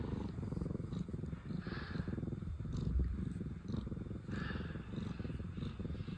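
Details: Pina and Piko, two sister cats who were formerly rescued, purring with pleased faces; a deep, even rumble fills the whole stretch, broken by a couple of soft breathy swells.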